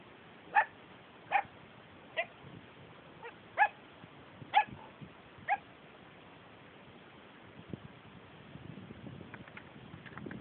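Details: Seven-week-old Tibetan Mastiff puppies at a kennel in the Netherlands, playing outdoors with two older dogs: sharp, high yips spaced about a second apart, about seven in all, followed by soft rustling and scuffling.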